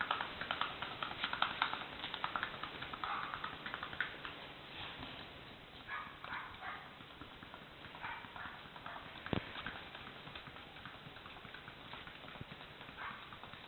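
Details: Paso Fino horse moving with rapid, uneven clip-clop hoofbeats, sharp clicks about two or three per second with brief louder strikes, fairly steady throughout, with a muffled, band-limited background.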